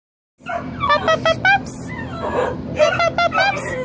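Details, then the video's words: Puppies letting out short, high squeaky yelps in quick runs of four or five, one burst just after the first second and another near the third, over a steady low hum. "KE pups"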